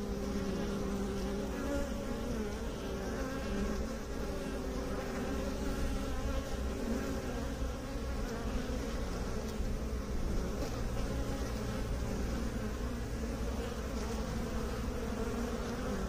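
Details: A sustained, thick drone of buzzing honey bees, low-pitched and rich in overtones, steady in loudness over sixteen seconds, with no other sounds.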